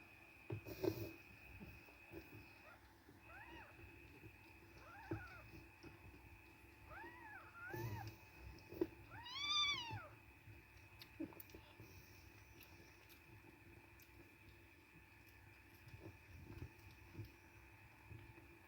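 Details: Domestic cat scene with a mother nursing five kittens aged five days; a series of short, thin, rising-then-falling meows between about three and ten seconds, then quieter rustling over a steady background hum.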